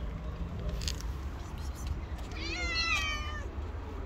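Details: Hungry stray cat living on the street, one of a homeless black cat and his friend, giving a single bright wavering meow midway after low background rumble and faint clicks.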